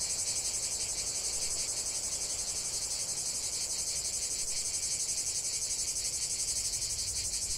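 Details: Steady cicada chorus in nature, an intense shrill buzzing that throbs in quick even pulses from start to end, filling the upper range with nothing else standing out.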